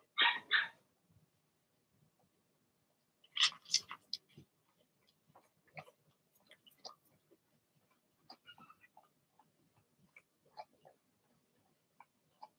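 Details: Blenheim Cavalier King Charles Spaniel puppies in a puppy pen: two loud, shrill barks open the recording, another quick pair follows a few seconds later, then soft scuffling and faint small yips.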